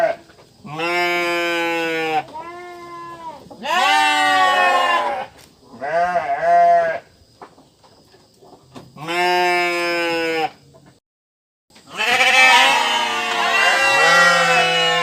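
A sheep gives loud, wavering bleats, several in a row with short pauses between.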